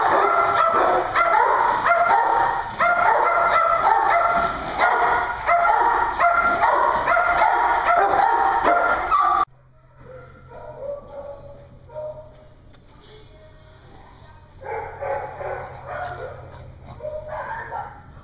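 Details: Dog daycare in Hooksett, New Hampshire: loud, rapid group barking for about nine seconds, then it cuts to quieter, more distant scattered barks and yips over a low hum.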